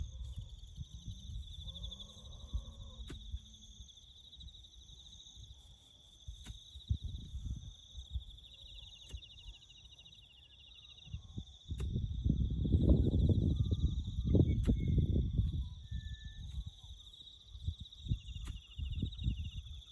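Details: Bush crickets keep up a constant high-pitched trill while farm work to build a road goes on; heavy low rumbling grows loud midway, and faint short chirps and sharp taps are also heard.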